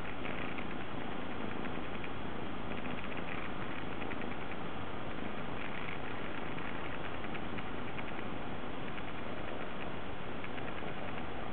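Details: A pampered Munchkin cat that loves lying on a lap, purring right against the microphone: a steady, loud, low rumbling purr that runs unbroken and sounds heavily distorted.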